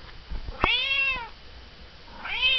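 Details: Indoor domestic cat, female, meowing for her dinner in the evening: one long piercing arched meow with rich harmonics, then silence, and a second meow starting at the end; quiet room.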